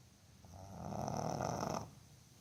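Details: Sleeping Boston Terrier called Botan gives a full, noisy snore, a single rough rattling breath lasting over a second, broad and buzzy with a faint high whistle, then quiet room tone.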